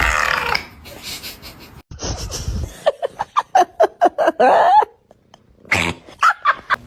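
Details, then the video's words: A cat makes strange sounds: a series of short, throaty, burp-like pulses in quick bursts, some with a rising nasal tone, separated by brief silences, with a low rumbling stretch early on. "This cat is making a strange sounds"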